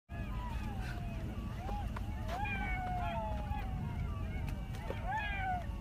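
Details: Coyotes, heard all around a campsite, give wavering, sliding howls over the steady low rumble and crackle of a campfire.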